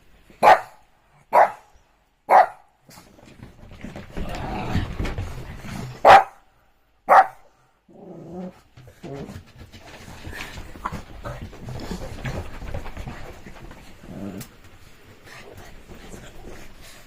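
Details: Shih Tzu dog during rainy evening playtime: three quick sharp barks about a second apart, a short pause, two more barks, then low rustling and movement noises.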